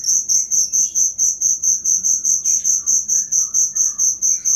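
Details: Cricket chirping for use in training caged songbirds: bright high pulses at just over two per second, strong and evenly spaced, with faint twittering notes behind.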